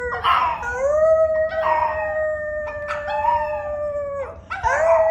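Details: A male pet dog deep in a dedicated howling session: long, steady, mid-pitched howls with rich overtones, each held one to two seconds or more, sliding gently downward at the ends, with short breathy breaks between them.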